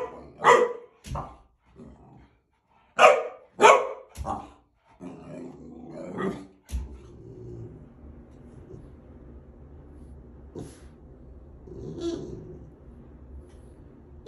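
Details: Gabriel, a male boxer, gives a run of hard barks in the first seven seconds, then only a low, noisy rumble of background sound with one or two faint later barks.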